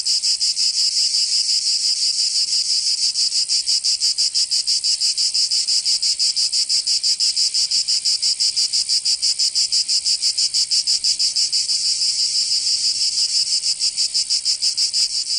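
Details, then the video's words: Provence cicadas, southern France, in summer: an intense high-pitched rasping drone made of fast even pulses, around three each second, held unchanged for the whole stretch. "Canto Cigarra 🦗 [ Escuchar les cigarras en verano 10 H]"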